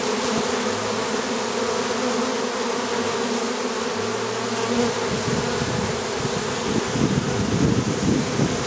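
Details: Hundreds of honeybees fly into a hive box right after a swarm was caught on 25 July 2013, while dozens fan the entrance to guide the others in. A dense, steady, low droning hum fills the air, with a few heavier rumbles.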